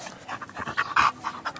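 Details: A female Maltese dog barking while playing gives quick, breathy, panting bursts with one sharper, higher yip in the middle.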